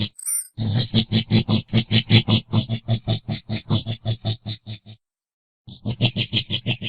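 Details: A single shrill squeak from a coati, then a long steady series of low, rasping grunts, about four or five per second, a brief silence, and more grunting.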